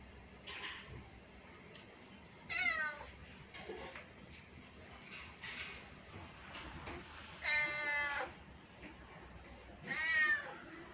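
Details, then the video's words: Kittens and their mother, a series of thin high meows with clear harmonic stacks, strongest at about 2.5, 7.5 and 10 seconds, some falling in pitch, with softer calls between over low background hum. "cute kittens and their Mom"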